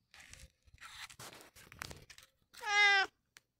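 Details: Long John Whiskers, a pet cat, gives one loud, drawn-out meow lasting about half a second near the end. It is rich and harmonic and rises slightly then falls. Softer rustling and scuffing sounds come before it.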